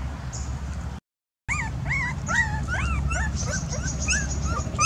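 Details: A dog whimpers in quick high whines, each note rising then falling, crowding together after a short pause over a steady low rumble.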